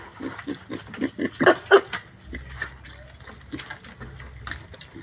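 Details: A pig gives a quick run of rhythmic grunts at the start, several loud, deep pulses in a row, then quieter scattered grunts and a low rumbling hum.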